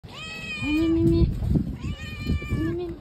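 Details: A stray female cat on the street, excited to greet the person who feeds her every day: two clear rising-falling meows about a second apart, with a third starting at the end, and a person's voice murmuring between them.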